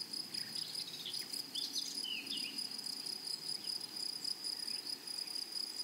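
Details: A chorus of grasshoppers in a flowering meadow gives a continuous piercing high buzz, softly throbbing. Several quick bird twitters break in during the first half.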